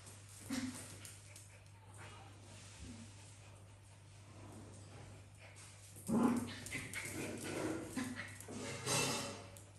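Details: Africa, a dog sharing a house with cats and other exotic animals, wanting to play with the tired cats; a short bark early on, then a louder burst of barking and whimpering vocalisations past the middle, over a steady low electrical hum.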